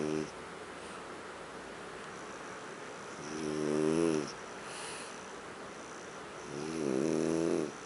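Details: Huck, a French bulldog, snoring while asleep on the sofa indoors; three buzzy, harmonic snore breaths roughly every three to four seconds, each swelling then fading, steady low room noise between them.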